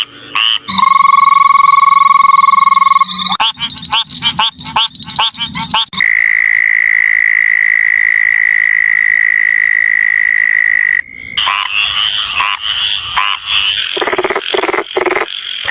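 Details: Frog calls in abruptly changing bursts: a steady whistled tone with a low hum, then rattling pulsed trills, then a long even high trill lasting about five seconds, ending in dense, harsh chorus-like buzzing.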